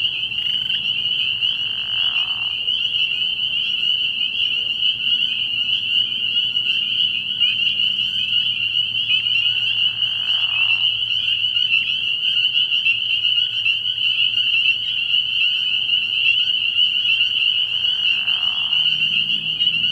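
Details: A frog pond at night early in the year, filled with a dense spring peeper chorus of shrill, steady peeping. Three brief, lower rasping sounds come at roughly eight-second intervals, over a faint low hum.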